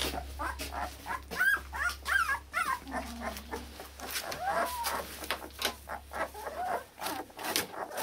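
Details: Akita puppies from Hungary, born 16 November to the Japanese-born Akita Kotono Go, whining together indoors; overlapping rising-falling squeals and yips with clicks and thumps of movement.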